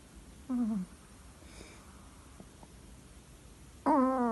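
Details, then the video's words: Asleep indoors, the Chihuahua Lolita of Capdepera gives a brief wavering squeak, then a long pause of faint room noise before another louder, nasal whistling snore begins. "chihuahua roncando"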